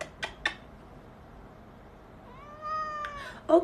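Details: Baby cat indoors in a funny compilation of cute kittens: two soft taps, then one clear drawn-out meow, steady and slightly falling with rich harmonics, ending in a brief louder scrape.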